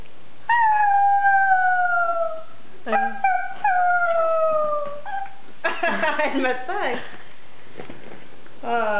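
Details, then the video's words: Pug singing; two long, slightly falling howls in the first half, then rougher broken yelps and wavering cries, with a brief final cry at the end. "Gucci the Pug singing"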